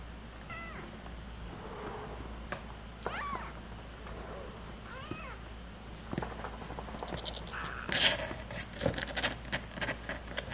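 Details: Stray cat family with kittens: several short high meows with harmonic, arching contours near the start and middle, followed by clattering and rustling handling noises in the second half.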